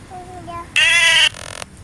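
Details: Goat bleating at feeding time while being offered food: one loud, harmonic-rich bleat lasting about half a second, strained and level in pitch, then a quieter fading tail, with faint tonal sounds before it.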